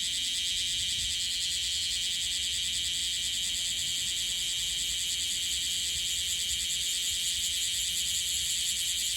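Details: Newly emerged bear cicada in Okinawa, wings not yet fully clear and still dusted with gold, singing an unsteady song: a dense, continuous high-pitched buzzing drone that holds throughout without pauses.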